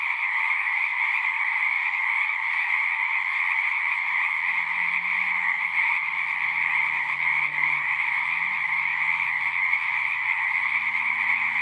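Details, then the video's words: Chorus of frogs singing at a pond in a horse pasture, recorded on a Zoom: an even wall of high overlapping trills, with a faint low droning hum wavering beneath it midway through. "Frogs singing"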